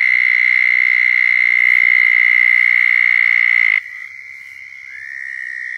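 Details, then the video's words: Southern toad mating call from Florida: a loud, steady high trill lasting nearly four seconds that cuts off sharply, leaving quieter trills of other toads, one sliding upward, in the background. "Southern Toads Calling in Florida"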